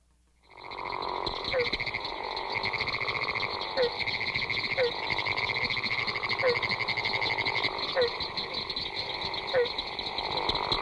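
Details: A Florida gopher frog (Rana capito) gives a deep, snore-like call in chorus with barking treefrogs and pinewoods treefrogs.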